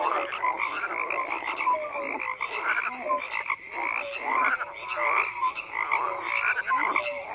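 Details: Frogs calling in a crowded chorus: rough, buzzy croaks overlap constantly while short, clear, slightly falling notes pop out every second or so.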